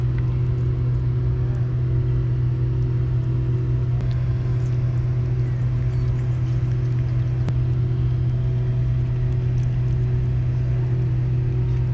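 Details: A constant low engine rumble from a vehicle fills the recording outdoors, with a few faint clicks and no animal call heard.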